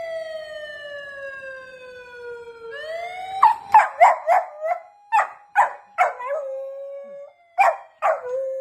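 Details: Torakichi, a golden retriever, reacts to a police car siren: after a long falling siren wail, the dog gives a run of short, sharp howling yelps, about two per second, with the siren tone still sounding underneath.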